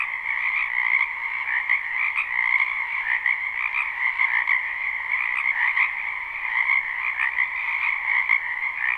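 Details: Spring wetland full of croaking frogs, captured live behind a house: a steady, dense chorus of trilled calls with brief brighter notes popping out about every one to two seconds, nothing else audible.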